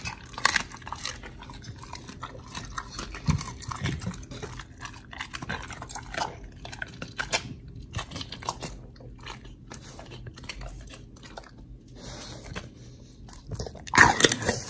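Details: Pit bull Oli chewing raw fish and steak on a raw diet, recorded 4 August 2023: sparse crunchy bites and moist gnawing clicks separated by quieter pauses, ending in a loud burst of crunching near the end.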